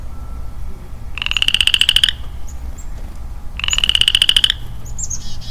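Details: A lone male Western Chorus Frog calling in early-spring woods: two creaky, pulsed trills that climb slightly in pitch, each near one second long, separated by a pause, while soft bird chirps sound in the background.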